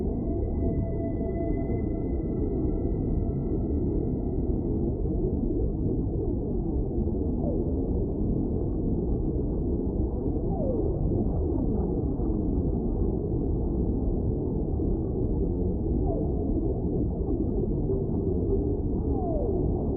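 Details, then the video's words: Whale singing in a deep, constant underwater roar: a sustained high level tone opens, stacked with lower parallel tones, then brief upward-sliding whoops sound every few seconds. "Whale Sounds"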